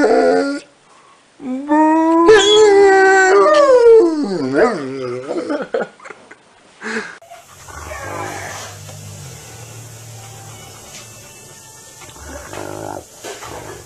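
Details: Rottweiler giving a drawn-out, wavering howl-like whine with rising and falling pitch for several seconds, then quieter noisy background with faint low hum.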